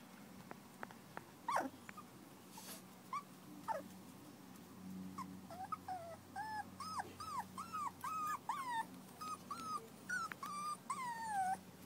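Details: Maeve's terrier pups, four weeks old, start with a few scattered yelps, then settle into a run of rapid arched whimpers and squeaks, rising and falling, about two per second over a faint background hum.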